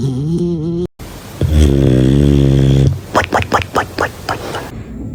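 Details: Sleeping dog snoring indoors: a low, drawn-out rumbling snore lasting over a second, followed by a run of short, rhythmic snorting puffs, with a brief vocal sound at the start.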